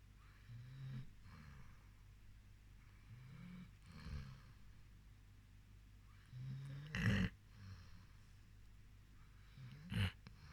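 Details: Sleeping rescue dog snoring softly, low rasping breaths repeating every few seconds, with two louder snorts near the end, in a quiet room.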